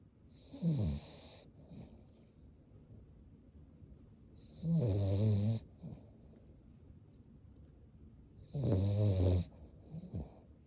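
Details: Sleeping Cavalier King Charles Spaniel, eyes rolled back to show the whites, snores three times at roughly four-second intervals. Each snore is a deep rattling drone with airy hiss on top, trailed by a brief weaker snuffle.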